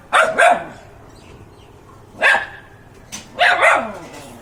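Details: Pet dog barking: three bursts of short, sharp barks, a quick double bark at the start, a single bark near the middle and a double bark at the end, with quiet room noise between.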